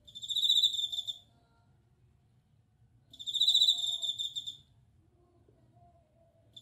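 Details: Bell cricket (suzumushi) singing: two bright, ringing trills with a bell-like, high pitch, each about 1.3 seconds long and starting roughly 3 seconds apart, over a faint low hum.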